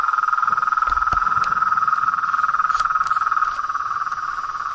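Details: Frogs in a natural setting, giving a fast, even pulsing trill that holds one steady pitch band from start to finish, with occasional soft clicks above it.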